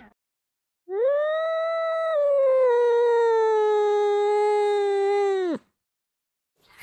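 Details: Angry cat giving a single long, steady tonal yowl lasting nearly five seconds, starting with a slight rise then holding level and fading at the end, with quiet silence before and after.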